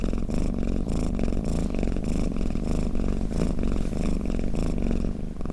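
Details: Close, deep cat purr, a steady buzzing rumble swelling and easing roughly twice per second as the cat breathes in and out.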